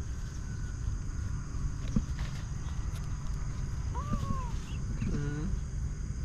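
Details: KiKii the kitten out in a garden in the morning, playing among vegetable plants: two short arched meows near the middle, the first rising then falling, the second lower and flatter, over a constant low rumbling background.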